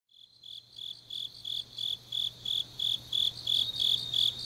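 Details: Grass insects singing on a deep autumn night in Changnyeong, South Gyeongsang, Korea: high, bright chirping pulses repeated about three times a second, fading in at the start then steady, with a faint low hum beneath.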